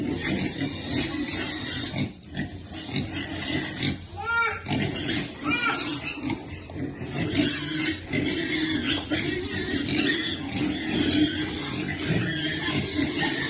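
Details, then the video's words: Baby piglet waiting for food while being fed: a few short, high, ringing squeals with stacked overtones near the middle, over a steady low rumbling background with faint voices. "Baby piglet waiting eat food"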